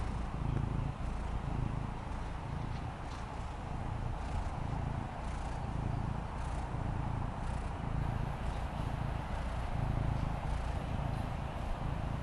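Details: Fendi, a female Maine Coon kitten, purrs contentedly while lounging on the patio; a continuous deep, throbbing hum pulses at a steady pace throughout, under a faint outdoor background.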